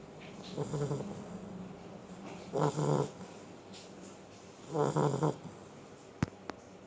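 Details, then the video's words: Beagle asleep and snoring: three rough, rattling snores at about two-second intervals, each with a doubled, throaty pulse, then two sharp clicks near the end against a quiet indoor background. "the snoring Beagle,all Beagle dies in life is to snore"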